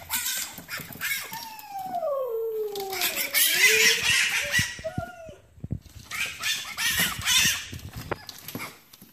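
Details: Lucy, a pet fennec fox indoors, panics on seeing her friends Troy and Elsa outside without her and wants them back in to play; a drawn-out falling whine with harmonics, then a short rising note, amid scratchy rustling.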